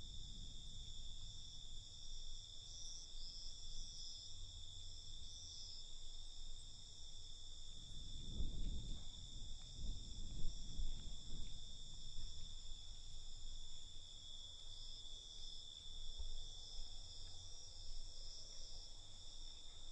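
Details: Night crickets keep up a constant high trilling chorus while a deeper rumbling noise swells around the middle and then fades back.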